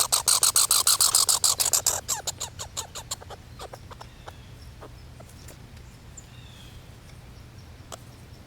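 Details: Squirrels calling: a fast, loud burst of sharp broadband clicks for about two seconds, then the pulses slow, thin out and fade into quiet background noise.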